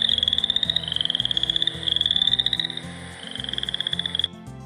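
Boreal chorus frogs give fast, creaky pulsed trills that rise slightly, repeated in bursts about a second long.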